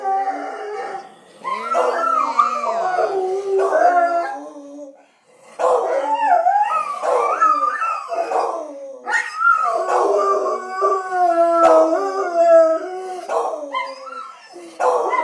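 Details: Dogs howling when their owner leaves, several overlapping wavering howls with sliding pitch in three long bouts separated by brief pauses.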